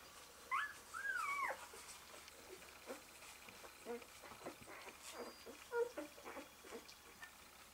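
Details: Newborn Malamute/Husky pups, one day old, beside their mother Eclipse: two rising then falling whimpering squeals open the passage, followed by softer scattered squeaks and a brief thin whine, against a low room hum.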